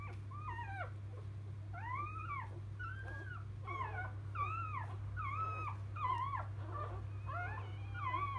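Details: Newborn field-type Labrador Retriever pups right after their birth to Biscuit, 2017 JFA Grand Champion, cry in loud arched whines, each rising then dropping, about one per second, over a low continuous hum.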